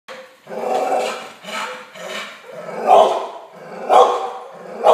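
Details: Yellow Labrador Retriever indoors barking at dogs on TV: loud, broad, ragged barks roughly once a second, with lower growly sounds and TV noise between them.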